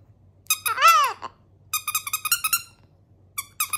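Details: Chihuahua named Cedric indoors howling a love song to his ducky towel: a rising-falling wavering howl, then rapid squeaky yips in quick bursts, a short pause and more high yips.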